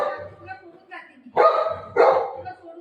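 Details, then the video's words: Buzo, a pet Golden Retriever, reacts indoors as its owner says she is leaving him: two loud, short, broadband bark-like bursts about half a second apart, with a woman's pleading voice in Marathi around them. "Dog ka reaction"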